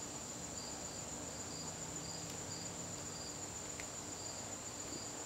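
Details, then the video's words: September evening in a garden, crickets keeping up a high steady trill with regularly spaced chirp pulses beneath, plus a couple of faint clicks against low background hiss. "garden crickets"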